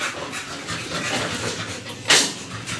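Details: American Bully puppies aged two months, after their second 5-in-1 vaccination, pant in steady, rapid, airy bursts. One louder sharp noise cuts in near the end, and faint voices are heard.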